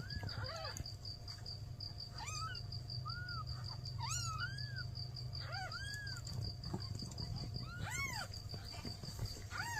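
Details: Mewing of newborn kittens, mother cat asking for help: short arched meows recur every one to two seconds, some thin and high, over a persistent low rumble and a steady high-pitched tone.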